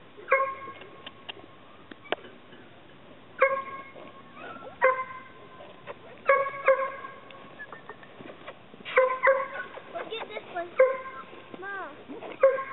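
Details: Chesapeake Bay Retriever puppies giving short, high, harmonic yelps in bursts every second or two, some clipped and some drawn out with a slight upward bend, over a quiet background.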